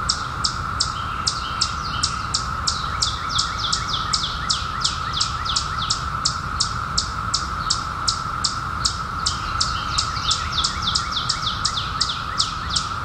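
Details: Periodical cicadas in 2021, just emerged after 17 years underground, making a steady, unbroken buzzing drone, while a bird in the foreground gives sharp, high, downward-sweeping chirps nearly three times a second.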